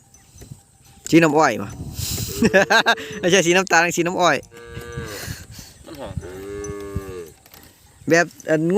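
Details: Calves separated from their mothers cry out: loud, quavering bawls follow one another in quick succession, then a long steady lower moo, before sharp new cries break in at the end.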